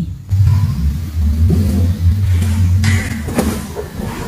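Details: A steady low engine rumble with revving swells, with no animal voice heard.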